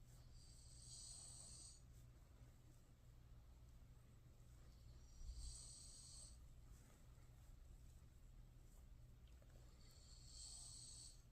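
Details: Shiba Inu named Yeoui asleep with open eyes and snoring: three airy, wheezing breaths come roughly every five seconds, each about a second long, over a constant low electrical hum.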